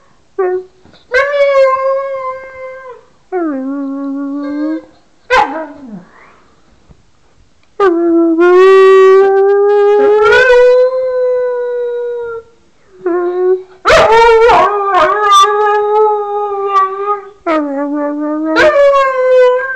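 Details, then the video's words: Howling song from Wags the dog, a run of wavering, sliding notes, some short yelps mixed among longer held tones, rising and dipping in pitch with a few quiet breaks. "Wags the singing dog"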